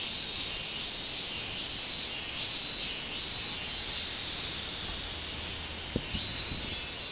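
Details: Robust cicada song recorded on 24 July 2016. Rhythmic, rising-and-falling shrill buzzing phrases repeat over a constant high hiss, and a sharp tap is heard near six seconds.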